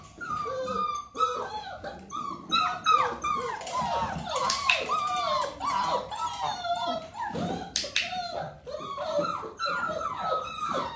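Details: Dalmatian puppies nearly six weeks old, with their mother Arya, during clicker training indoors; a busy chorus of high, wavering whines and yelps that slide downward, overlapping constantly, with brief sharp squeaks.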